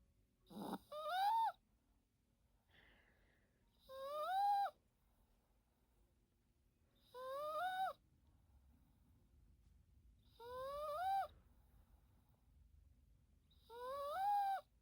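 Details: Teto, a Yorkshire Terrier asleep at naptime, gives five regular whistled snores roughly every three seconds, each rising then dipping at its end, with hushed gaps and a faint short sound between the first two.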